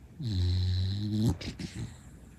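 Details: Sleeping female Shiba Inu, a rescue dog, snoring indoors: one sustained low buzzing snore lasting about a second, followed by softer broken snuffles and a faint murmur as it fades.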